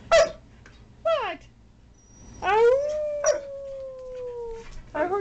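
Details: A dog gives two short, sharp yips, then a long, smooth howl that starts higher and glides slowly downward for about two seconds, ending with another brief yelp.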